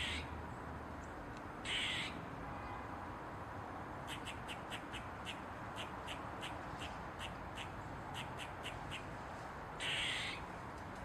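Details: Eastern gray squirrel on a mushroom with its tail wagging. Two rasping, drawn-out squeaks, one early and one late, frame a steady series of clipped barks, several each second, across the middle of the recording.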